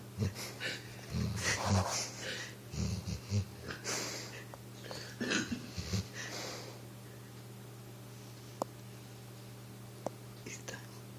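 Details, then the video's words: Pit bull Recchi sleeps on a couch, dreaming that he runs: rough, wheezy snorts and breaths in the first six seconds, then near silence in a small quiet room with a few faint clicks. "Snoring pitbull tries to run in his dream"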